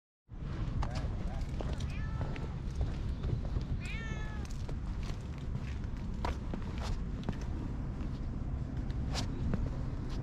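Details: Stray cat in a park, a community cat warming up to people, filmed on a GoPro HERO8: two short rising-falling meows, the second higher and more drawn out, over a steady low outdoor rumble with scattered clicks and rustles.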